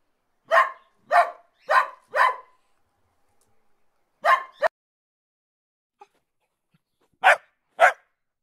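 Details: A dog gives bursts of clipped barks, four quick ones in a row, then a pause, a pair, a longer gap and two final barks, each short and bright, over an otherwise quiet background.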